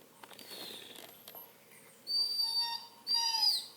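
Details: Redbone Coonhound puppy whining indoors: after a quiet, faintly rustling start come two high, thin, steady whines, each drawn out for about a second with a slight bend at the end, separated by a short pause.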